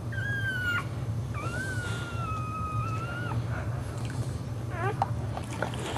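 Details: Boxer dog giving birth indoors to four puppies, here the second, the mother licking it and removing the placenta before its first nursing; two long, thin, high whines, one held then dipping, followed by quick chirpy squeaks over a steady low hum.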